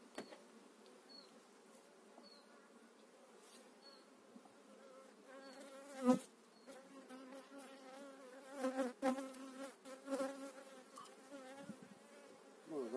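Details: Honey bees during a spring hive transfer in 2018, eight frames of bees moved into a new hive; a dense, droning hum with wavering pitch as individual bees swoop close, broken by sharp knocks and handling clatter.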